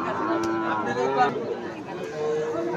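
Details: Friesian calves at Gomgram cattle market in Dhamrai, Bangladesh, on a Monday market day: a drawn-out, low moo with falling tone, heard over the murmur of people talking nearby.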